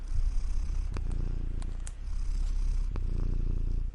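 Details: Cat purring steadily, a dense low vibrating rumble with a few sharp clicks near one, two and three seconds.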